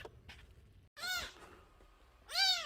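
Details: Nursing kitten under a month old, found crying at a home's front gate and brought indoors, gives two loud, high, arched meows about a second apart, with quiet room noise between.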